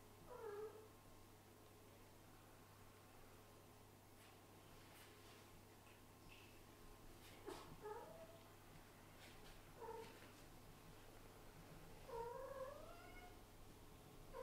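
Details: Domestic cat indoors with her baby kitten peeking out from her belly: soft, low meows come in short bursts, scattered across the stretch with pauses, over a steady electrical hum and faint rustling.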